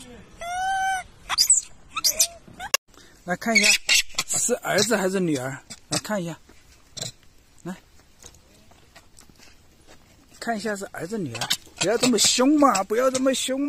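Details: A wild baby macaque cries loudly, bullied by its mother. It opens with a clear arched wail, then comes busy stretches of lower, wavering, chattering cries, a quiet middle, then another dense burst of squealing.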